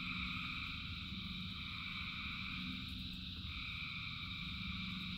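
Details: Frogs calling in rain, a dense chorus of thousands: steady layered droning trills in several pitch bands, shifting slightly after about three seconds, over a continuous low rumble of rainfall.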